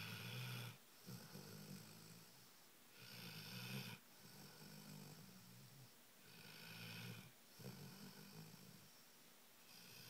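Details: Dog, the most loved in its neighborhood, snoring while waking up with its owner. Soft, breathy, broadband snore bursts about three seconds long, separated by brief quiet gaps, in a steady, low-level rhythm indoors.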